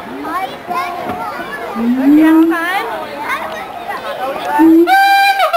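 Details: Mated siamang pair at the Columbus Zoo singing a duet that establishes territory and reinforces pair bonds: sweeping, rising and falling whoops with steady low hooting notes, closing on a loud bright upswept call.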